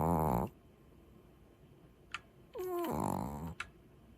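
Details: Sleeping Maltese dog snoring: a short harmonic snore at the start, then after a quiet gap a longer snore breath with rising and falling tonal bands, and two faint clicks in an otherwise quiet room.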